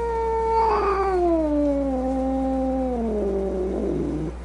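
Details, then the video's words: Angry cat moaning in one long, steady wail that slowly slides downward in pitch and ends in a rough, growly rasp. "Cat Angry Sounds | Cat Snarling, Cat Hissing, Cat Moaning | Angry Cat Sounds"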